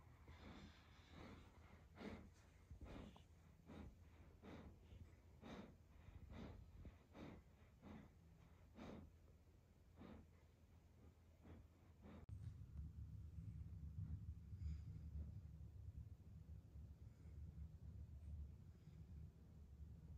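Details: German Shepherd named Evo going to sleep: a quick run of sharp, puffing snorts repeated about twice a second for twelve seconds, then the snorting stops and a steady low rumble fills the rest.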